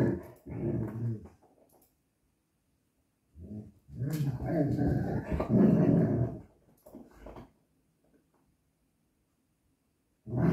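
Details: Mexican Hairless dog (Xoloitzcuintli) during play: short grumbling growl bursts, then a longer rolling growl of about three seconds that rises and falls. Silent stretches follow before a final growl starts.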